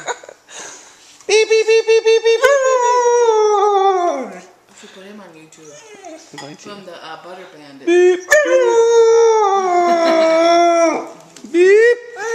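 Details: Blizzard, a Siberian Husky puppy kept as a family pet, howls in reaction to spoken "beep" noises it hates: a quick run of short beeps, then a long wavering howl sliding downward, soft murmurs, and a second drawn-out howl rising at the end.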